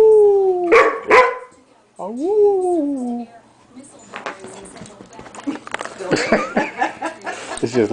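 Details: During a 2003 game of tug with a female canine playmate, a male Standard Poodle gives a falling tonal wail and a second rising-then-falling howl. Scuffling, clattering play noises and a person's voice follow.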